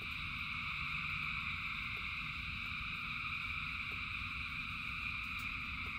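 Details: Many frogs call together during rain, their massed trilling forming a constant high-pitched drone layered over low rushing rainfall, with occasional soft ticks.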